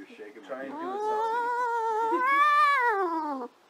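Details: Domestic cat making a weird noise indoors: one long drawn-out yowling meow of about three seconds, rising, holding steady, then falling, with a faint voice at the start.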